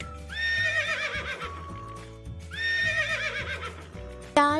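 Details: Horse neighing: two loud whinnies about two and a half seconds apart, each starting high and shaking downward in a quavering descent, with steady background music throughout and a sharp click at the end.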